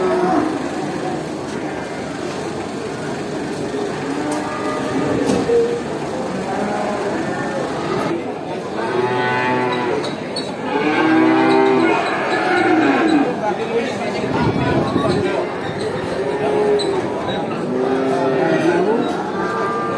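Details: Cows at a traditional animal market: a herd giving long harmonic moos and bellows that swell and fade, several overlapping calls in the second half, against a constant background of market bustle and distant voices.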